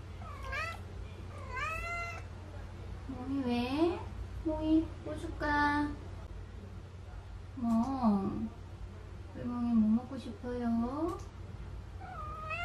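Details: Indoors, a neutered male Munchkin Napoleon cat born January 2018 approaches its owner, pestering for a treat. Eight or so short, bending meows, some chirpy and some whiny, alternate with the owner's coaxing talk over a low room hum.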